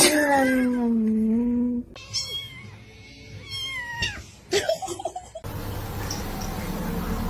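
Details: Indoor cat giving a loud, long meow that dips and levels off, followed by softer short mews amid thumps, background music and a woman talking.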